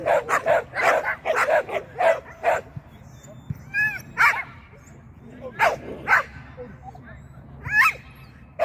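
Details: Agility-training Shetland sheepdog named Sian, on the seesaw and in the tunnel, lets out a rapid volley of about ten shrill barks, then occasional single barks while a person speaks.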